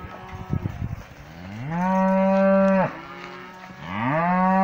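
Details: Cows in a pasture, a black cow approaching close for a sniff; soft snuffling breaths open, then two long, deep moos, the first steady and ending abruptly, the second rising into a sustained bellow.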